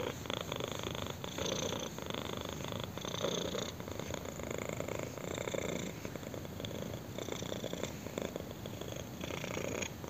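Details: Purring kitten enjoying a chin scratch: continuous low rumbling vibration with soft breathy swells about once per second, even in loudness throughout, quiet room with nothing else audible.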